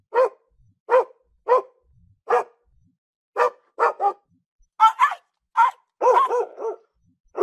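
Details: Domestic dog giving a run of about a dozen barks. They start evenly spaced, then grow quicker, higher and partly overlapping toward the end, with no other sounds.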